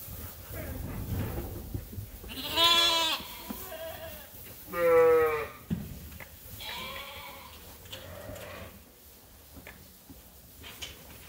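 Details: Hungry flock on a sheep farm at feeding time. Two loud, strongly quavering bleats stand out, then softer, shorter answering calls, with shuffling and background rumble between them.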